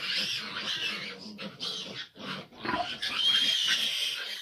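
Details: Piglets of a litter of fifteen, grown large, as the sow struggles to nurse them; dense high squealing and grunting from many piglets overlapping continuously, with brief dips and low grunts beneath.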